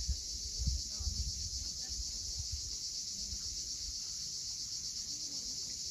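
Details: Sunset cicada chorus at Cape Fiolent in Crimea: an unbroken shrill hiss held at one pitch throughout, over low surging thumps of waves on the steep coast.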